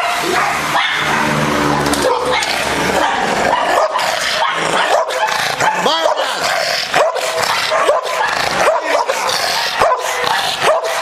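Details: American Bulldog described as very aggressive; harsh, overlapping barks and snarling bursts, dense and loud throughout, over a busy, noisy background.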